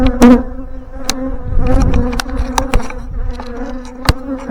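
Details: On a windy morning, a Western honey bee swarm hums with a steady, low buzz, with wind rumble and sharp knocks, while it is installed into a five-frame hive box and the beekeeper searches for the queen.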